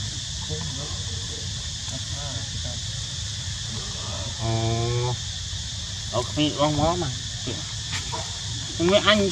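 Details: Baby monkey asking its mother for milk: a held, harmonic whine around four to five seconds, then wavering squeals that rise and fall near six and a half and nine seconds, over steady insect hum and nearby human voices.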